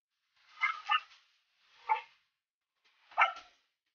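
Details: Belgian Malinois puppies in the Philippines; three short bursts of high, yappy barking about a second apart, the first a quick double yip, with near silence between.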